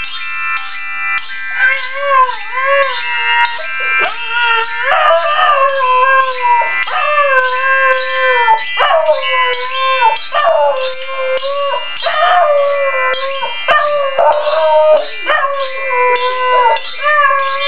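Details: Domestic dog singing and being aggressive: continuous wavering howls and yips that step up and down in pitch in short repeated phrases, with a steady tonal background hum throughout.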